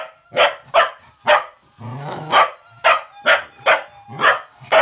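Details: Cocker spaniel puppy, female, barking excitedly at a toy Gizmo's whistle: a steady run of about nine loud, sharp barks with a low grumbling growl mixed in midway, thin whistled tones in the background.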